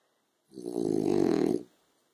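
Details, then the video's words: French Bulldog dozing on a sofa in afternoon sun lets out one rough snore, a buzzing, fluttering low breath swelling then fading over about a second. "Frenchie Snoring"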